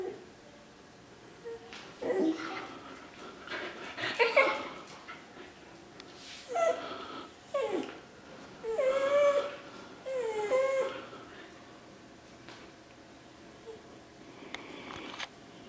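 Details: Shetland Sheepdog excited to go outside, pet dog in a small room. Gives a series of high, wavering whines and yelps in bursts of about one second, separated by quiet pauses, with rising and falling pitch.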